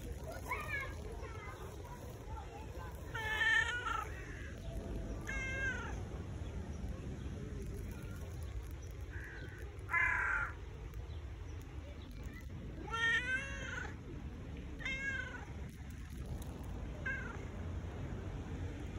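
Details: Tabby cat wanting love, giving a series of about six drawn-out, rising-then-falling meows spaced a few seconds apart, with a louder pair near the middle and a person talking softly underneath throughout.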